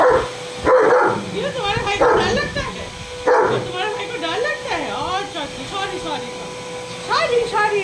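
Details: German Shepherd Leo, a double-coat working-line male, answers a vacuum cleaner with sharp barks, then a run of wavering, yipping howls; a person talks between the bursts and the machine hums underneath.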